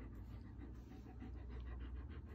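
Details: Old English Sheepdog named Hodu, excited at being asked to go outside, panting in quick, soft rhythmic breaths about four to five per second over a steady low indoor hum.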